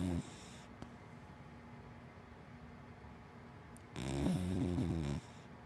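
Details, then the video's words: Hana, a sleeping black dachshund–Labrador mix, lets out a deep, fluttering snore of just over a second near the end, after the tail of a previous breath and a quiet pause. "Hana the big black wienerdog Snoring"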